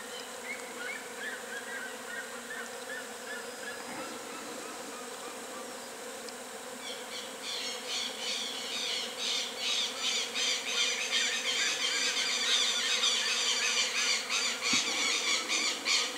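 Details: Western honey bees of a natural colony in full activity in a nest; a dense, steady buzzing hum that swells louder after about seven seconds into rapid pulsing, with faint whistle-like tones early on.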